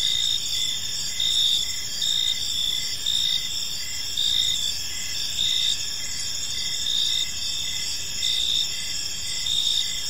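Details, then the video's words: Crickets chirping on an evening in a park, a dense high insect chorus with pulsed bursts swelling roughly once a second over a steady shimmering trill, faint low background rumble. "Park Serenade: Cricket Sounds in a Peaceful Park | Evening Ambience"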